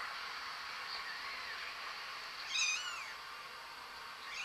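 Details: A cat meows once, a clear harmonic call that bends upward then drops, near the middle of the stretch, over constant hissing room noise, with a fainter second call starting at the very end.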